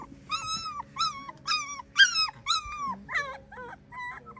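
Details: A female German Shepherd puppy gives a run of high, wavering whines and little howls, about two a second, as if practising singing.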